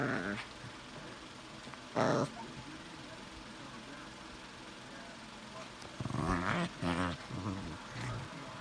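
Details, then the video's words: Two Shih Tzu mixes "talk" to each other in their own Chewbacca-like language, trading low, gravelly grumbles and growly moans in short bursts. "Chewbacca talk between two shih tzu mixes"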